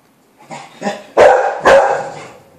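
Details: Beagle puppies, 24 days old, indoors: two soft rising yips followed by two louder, harmonic puppy barks about half a second apart, each trailing off.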